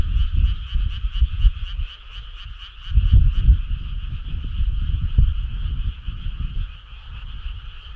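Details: Frogs in a summer night chorus, crisp pulsed trills early that blur into a smoother continuous hum, with strong low rumbling noise throughout.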